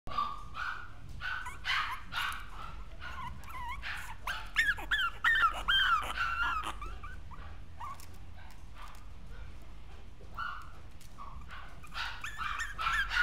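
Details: Newborn Maltese puppies squeal and whimper in thin, high, whistled cries, some rising and falling, repeated in irregular bursts roughly twice a second, with louder overlapping wavering whines in the middle.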